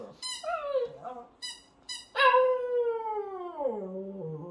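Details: Shih Tzu puppy joining in with a baby's singing: short high squeals and wavering yelps, then a strong sustained howl that glides steadily downward and ends low.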